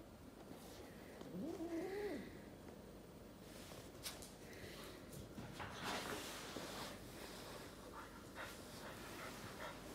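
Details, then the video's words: French Bulldog fighting with a Sphynx cat indoors: one short whiny grumble that rises and then falls, followed by scuffling, thumps and rustling from the tussle. "French bulldog Sphynx fight"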